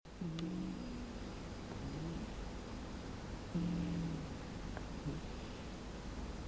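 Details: Female house cat sleeping deeply in an air-conditioned room on a hot day, snoring loudly: low, droning, buzzy snores about three seconds apart over a steady hiss of room noise.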